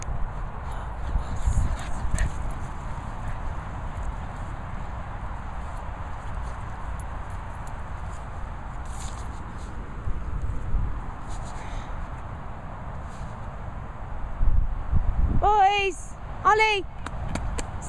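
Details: Two Boston Terriers, Olly and Syd, whizzing about: a long stretch of low rustling and footstep-like thumps, then near the end a few short, high, harmonic whining yelps in quick succession.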